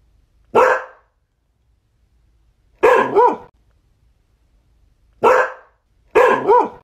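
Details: Barking Border Collie: a lone bark, then paired double barks repeated roughly every two to three seconds, each burst sharp and ringing, the quiet gaps otherwise empty.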